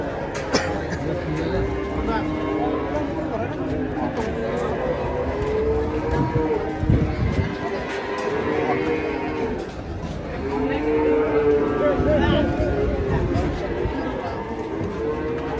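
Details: Cattle unloaded from a truck and running wild among startled visitors give repeated rising-then-falling lows a few seconds apart, mixed with steady human chatter and the hubbub of a busy outdoor gathering.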